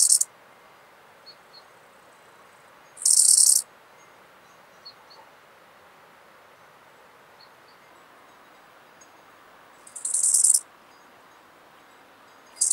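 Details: Eisentraut's bow-winged grasshopper recorded in Muhrtal, Austria, 9 October 2020, via ultrasound detector; brief shrill buzzing chirps spaced about seven seconds apart, with faint ticks in between and steady low hiss.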